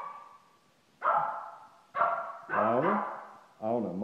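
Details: An excited Shih Tzu starts with a thin, steady whine, then breaks into a run of harsh, ringing barks with short gaps between them.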